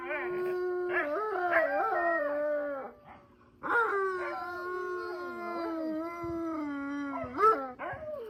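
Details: Siberian Husky family howling as a pack, mother and puppies together: steady held notes bending up and down, a short silence midway, then a second wave of layered, sliding howls ending in a sharp higher cry.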